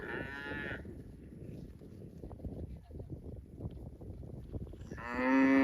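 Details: Cow mooing: a short harmonic moo opens, then a stretch of rustling, clattering background noise, and a second louder moo starts near the end.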